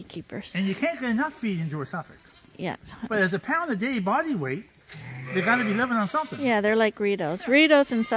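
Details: Several lambs bleat at Ewetopia Farms while being bottle fed. They still nurse from their mothers and are topped up twice a day on a hand-made bottle feeder. The bleats are wavering and quavering, repeated and overlapping in a busy chorus.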